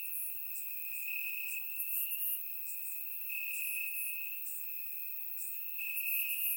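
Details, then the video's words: In Bulgaria on a warm summer night, crickets chirp in the grass: an unbroken high trill swelling and fading in waves, with clusters of bright higher chirps every second or two. "Cricket Sounds - Crickets Chirping at Night"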